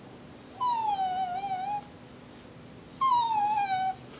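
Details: Coco, a Jack Russell Terrier, sings two long howling whines about two seconds apart while 'saying' Happy New Year, each note falling from a higher start to a level, slightly wavering tone.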